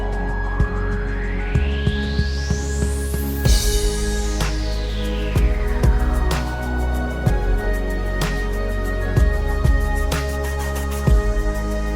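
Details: Ambient electronic music with a sweeping synth rise and fall over steady low drones, and no animal voices.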